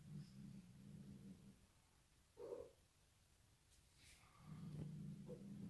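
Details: Sid, a Bengal cat, frightened by a new bride, gives a low, steady rumbling at the start and again near the end, broken by a brief brighter sound between them, with faint background noises.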